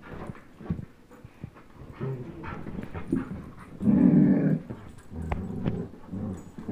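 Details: German Shepherd Chase, 10.5 months, and Old English Sheepdog Blizzard, one year, pulling at a tug toy; soft scuffling noises, then one strong low growl lasting under a second before quieter rumbles.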